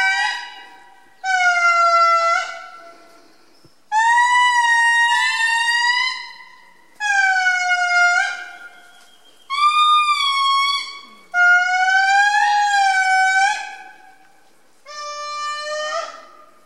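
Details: An indri, the largest lemur, sings in Parc National d'Andasibe-Mantadia, Madagascar: long, ear-shattering, eerie, wailing horn-like notes that swell and fall in repeated bursts.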